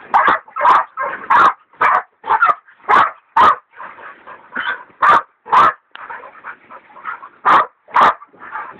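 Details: Dixie and Dollie, hunting hog dogs, baying a large sow; sharp barks about twice a second, interrupted mid-clip by a stretch of quieter whining before loud barking resumes.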